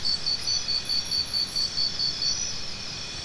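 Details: A cricket pulses out a fast series of bright, even chirps, about five each second, then stops, leaving only a steady high insect buzz behind.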